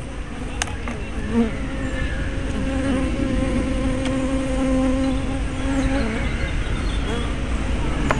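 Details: Bees at hive entrances, recorded 24 May 2012 on a small spy camera fitted with a fisheye lens; a steady droning buzz with a clear low hum and overtone bands, dense overlapping wingbeats and brief sharp clicks.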